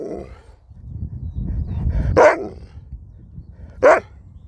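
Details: Pet dog barking while its owner talks to it: two short, sharp barks about 1.7 seconds apart, each a brief bright burst, with the owner's voice and low room rumble between them.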